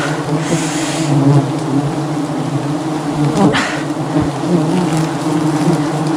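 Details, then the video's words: Thousands of angry honey bees swarming a honey hunter during wild honey harvesting in the jungle; loud continuous low buzzing drone with layered hum tones, a brief rustle partway through. "Aggressive Bee Swarm"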